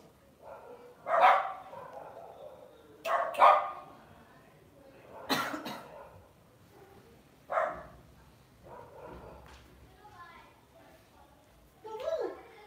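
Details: Pet Lhasa Apso dog at home giving short, sharp barks, mostly single with one quick pair, spaced a few seconds apart with quiet gaps and faint low background noise.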